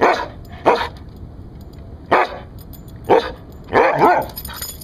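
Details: Rescued Siberian Husky barking as a guard dog, five sharp loud barks spaced about a second apart, the last one rougher and longer, in a quiet room.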